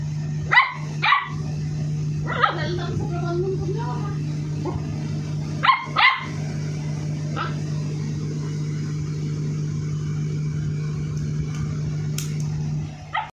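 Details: Aggressive 58-day-old Labrador Retriever puppy giving short, sharp barks, mostly in quick pairs near the start and again around six seconds, then quiet. A steady low hum runs throughout, with faint voices.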